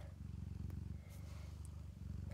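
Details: Domestic cat, a foster mother nursing her five kittens inside a cabinet, purring steadily: a low, rapid, even rumble of pulses that runs nearly continuously, with a brief dip near the middle and faint rustles.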